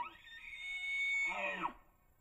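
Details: Bull elk bugling during the rut on public land in Idaho, caught by a cellular trail camera: a shrill whistle climbs and holds high for about a second, then breaks into a lower, rough, descending growl before cutting off.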